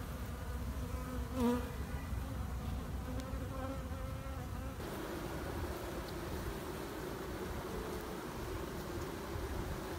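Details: Honey bees in a queenless colony during queen rearing, a dense steady low hum filling the hive, with a brief tonal note rising out of the drone near the start.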